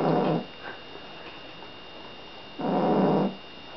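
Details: Seal point Siamese cat Billy, fast asleep, gives two loud rough snores about two and a half seconds apart, each a noisy rasping breath lasting under a second, with quiet between.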